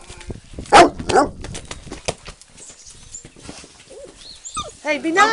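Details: Playful yellow puppies with a toy and ball: two loud sharp barks open, then quieter scuffling and a run of high, wavering whines and yips at the end, while a person talks.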